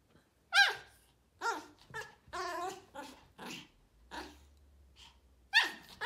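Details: A female Pomeranian among a group of barking Pomeranian puppies: shrill, tonal yips that drop in pitch, then rougher barks in a loose series with gaps, ending in a loud high yelp.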